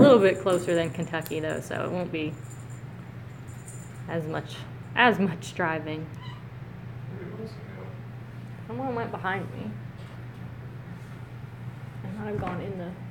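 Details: Kittens filmed in close-up on 12/1/17 give several high, arching meows, some rising and falling, scattered among human voices talking nearby, with a steady low electrical hum running under everything indoors.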